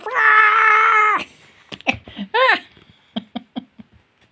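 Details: Domestic cat giving a long, loud, drawn-out meow that holds steady for about a second, then a shorter rising-falling second meow, followed by a series of soft clicking and tapping sounds in a small room.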